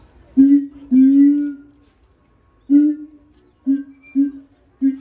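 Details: Keiji, a male siamang (Symphalangus syndactylus) at Higashiyama Zoo, Japan, sings alone since his female mate died: loud, low hooting notes, some drawn out, others short and repeated.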